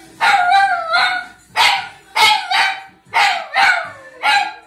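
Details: Dog singing before the TV with short, falling, yowling cries, about six in under five seconds, each sliding downward in pitch.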